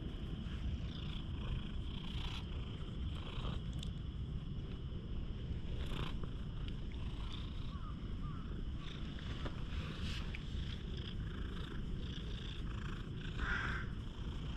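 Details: Affectionate stray cat pressing in for attention with its tongue still out, caught on a GoPro HERO8; continuous deep, vibrating purring throughout, with scattered rustles and handling bumps and a short higher sound near the end.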